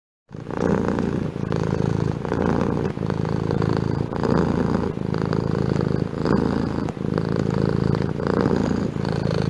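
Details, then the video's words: Continuous low purring from a domestic cat, starting after a brief silence, then a steady throaty vibration rising and falling with breathing cycles. "Efeito sonoro de gato ronronando"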